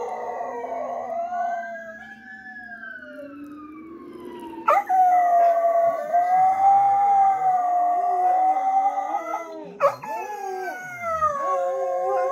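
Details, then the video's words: Pet dogs at home, Jack and Bobby Joe, howl in response to a fire truck siren played back indoors at night; a rising siren wail gives way to a sustained, wavering howl with a sharp click and another howl following. "Dogs howling at fire truck siren"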